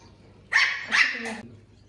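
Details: Puppy Puffyk barking in reaction to a laser pointer dot, two sharp loud barks in quick succession with a softer trailing yelp, clear and close over a quiet indoor hum.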